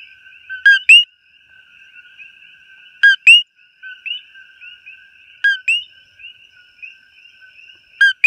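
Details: Coqui frog recorded up close in Hawaii: a loud two-note call, a short lower note followed by a higher rising whistled note, repeated about every two and a half seconds over a steady trilling chorus of more distant frogs.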